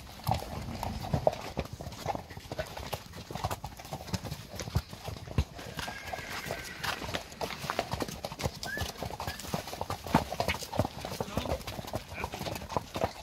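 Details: Friesian horse mares moving together in a pasture, heard as dense, irregular drumming hoofbeats thudding continuously throughout, with a faint whinny and occasional light knocks over the low rumble of many hooves.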